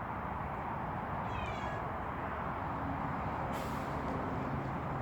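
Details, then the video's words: A wary, suspicious cat, apparently reacting to a strange sound, gives one short, falling, tonal meow lasting about half a second. A steady low rumble like engine or traffic noise runs underneath, and a brief hissing burst follows later. "의심이 많은 야옹이~~~~ 이상한 소리가 들리나봐요"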